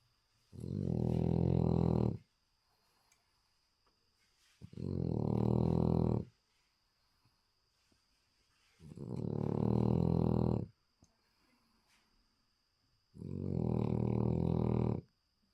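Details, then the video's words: French Bulldog, a small male, snoring loudly while asleep indoors: four long, rasping, low harmonic snores of about one and a half seconds each, spaced roughly four seconds apart with near silence between, over a faint steady high hum. "Französische Bulldogge beim schnarchen"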